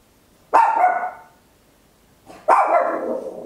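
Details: Tiny Papillon barking very loud indoors at home, stereo recording made with an Olympus LS-11; two forceful barks two seconds apart, the second longer and rougher, with otherwise near silence.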